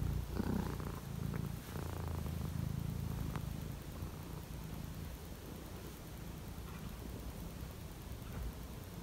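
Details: Cat on a cold morning: a soft, low rhythmic purr, strongest in the first seconds and then fading, with a woman's voice speaking and faint household noise.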